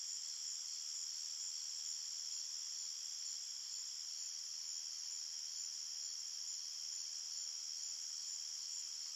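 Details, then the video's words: A forest at night filled with cricket chirping: steady, piercing high trills blending into one sustained chorus, constant in level, with no wind, water or voices. "Crickets Chirping Sounds"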